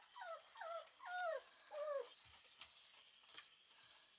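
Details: Red female Shiba Inu puppy whimpering indoors: four high, falling whines with clear harmonics follow one another over about two seconds, then give way to soft tapping and rustling with faint clicks.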